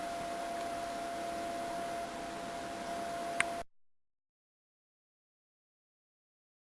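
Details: Steady hiss with a constant electrical tone and one brief click, then complete silence from a little past halfway to the end.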